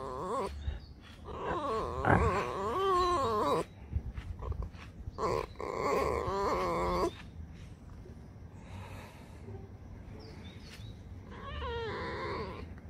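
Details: A pet fox, a female, whines and complains in wavering, nasal bursts, with people talking and music in the background.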